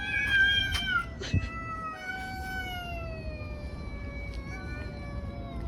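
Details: Cats fighting on the street: overlapping harmonic yowls, loud at the start, then a long sustained wailing tone slowly sinking in pitch, with brief clicks and a low background hum.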